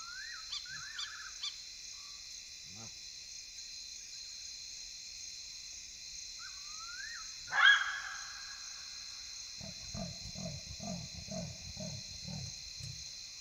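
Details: Side-striped jackals calling at night in the African bush, Kafue National Park, Zambia: a few short rising yelps early, a sharp loud bark near the middle, then a run of low gruff pulsed calls, over steady insect whine.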